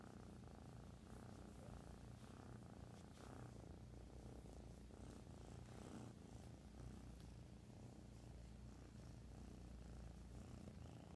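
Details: Domestic kitten, a young female, purring loudly in a steady motorboat-like rumble, continuous low throbbing pulses with no pauses throughout, close to the recorder, no other clear sounds.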